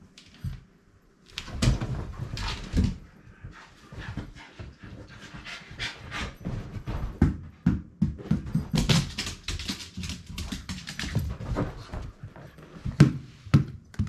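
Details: Indoor ball play by Rin, a small-mouthed female Shiba Inu who prefers attacking the ball over carrying it; steady heavy panting rises and falls, mixed with rapid scuffling taps and knocks.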